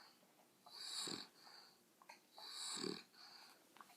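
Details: Pet dogs making weird noises: two drawn-out, wheezing snorts about one and a half seconds apart, each a breathy hiss with a low rasping grunt in the middle, in a quiet room.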